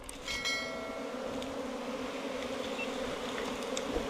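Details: Buzzing of honey bees whose nest sits in a 4 m bamboo stem, a constant humming drone under faint high ringing tones at the start and light background noise.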